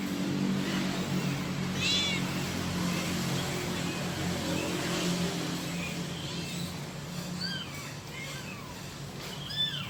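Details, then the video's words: Kitten calling for its mother: one clear high meow early on, then a cluster of short, thin, curving mews near the end, over loud continuous low background noise and traffic-like rumble. "suara anak kucing manggil induknya"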